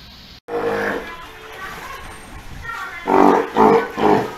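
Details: Captive Steller sea lion pup, about three months old, at Ise Sea Paradise aquarium in Japan, raised by its mother Hina. One drawn-out harmonic bleat, then a pause and three short, throaty calls in quick succession.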